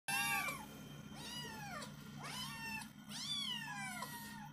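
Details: Kitten crying for fried tilapia: four loud, high, wavering meows, each rising then falling and drawn out, with a steady low hum underneath in a small indoor room.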